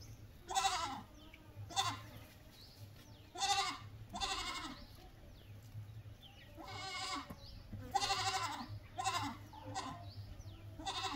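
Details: Goat bleating: several loud, wavering, nasal bleats spaced one to two seconds apart, some long and quavering, over a steady low hum with faint chirping in the background.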